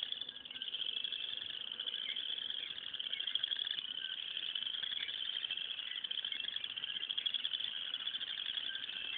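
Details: Many frogs calling from a pond in the morning, loud: a dense, unbroken high-pitched trilling chorus that stays steady throughout, with fine rapid pulsing and no other clear sounds.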